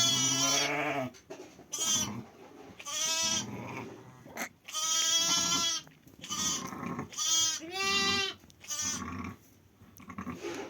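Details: Bleating from sheep during lambing on 5 January: a rapid run of eight loud, wavering, reedy bleats, mostly under a second each, with short gaps and low shuffling noise between them.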